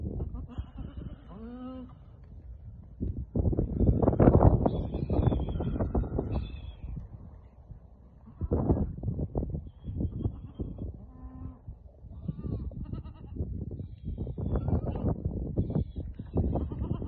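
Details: Goats, a small herd of young females kept with a buck at Al-Summan; a quavering, harmonic bleat wavers early on and a shorter bleat follows later, over loud rustling and handling noise.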